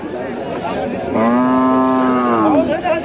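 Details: Bull cattle at a Bangladeshi livestock market in 2019: a single long, steady moo lasting about a second and a half, slightly falling at the end, over background chatter of buyers and sellers.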